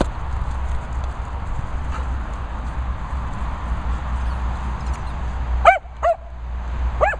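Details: Kennel dogs in rural Worcestershire at a licensed training and boarding site. Several seconds of steady low hum, then three short, clear barks in close succession near the end.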